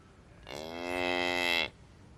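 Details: Cow on a pasture among grazing cattle and calves, giving a single drawn-out, fairly high, harmonic-rich moo lasting about a second, steady then cut off, over quiet low background rumble.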